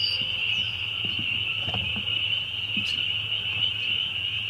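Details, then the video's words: Dense spring peeper chorus, very loud and continuous, a piercing high-pitched trill of overlapping peeps with faint low thuds underneath. "Spring Peepers"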